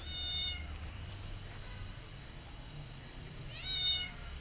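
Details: Two bright, high-pitched meows from rescued kittens hiding in a jacket, one at the start and one near the end, separated by quiet low-frequency hum.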